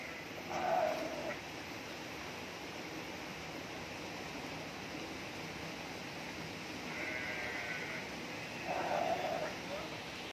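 A Garut sheep bleats twice, each call brief and wavering with a nasal, mid-pitched tone. Between the calls a faint higher sound and steady background hiss fill the gap, with possible human voices nearby.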